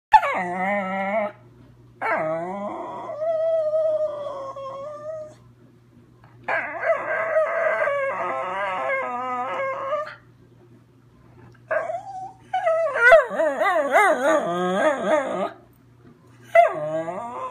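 A schnauzer sings in long, wavering howls, some sliding up and trembling, others held steady, with short breaks between.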